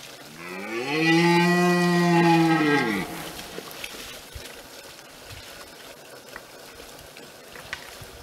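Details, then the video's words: Red deer in France roaring during the brame: one loud, drawn-out, strongly harmonic bellow holding a steady pitch for about two seconds before dropping away, followed by quiet outdoor background. "Brame du cerf"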